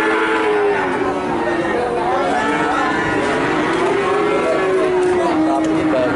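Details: Nganjuk calves in Indonesia bellow steadily. Several long, slightly quavering moos overlap and slide gently in pitch against a busy, noisy backdrop.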